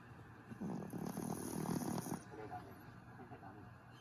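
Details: A dog named Griff snores while asleep: a drawn-out raspy breath of about a second and a half, grainy and low, followed by softer fading breathing against a steady quiet background.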